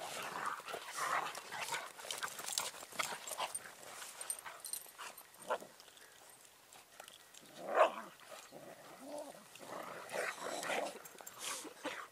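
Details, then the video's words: Bernese Mountain Dogs scuffling in the snow: grumbling growls, sharp yelps and whimpering whines come in uneven bursts, with a loud snarl near the middle and scattered rustling from the tussle. "Berner Sennenhunde Kämpfe"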